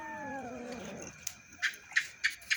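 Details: Domestic cats gathered indoors at feeding time, squabbling over food: a drawn-out meow with a falling harmonic stack in the first second, followed by quieter clinks and short knocks.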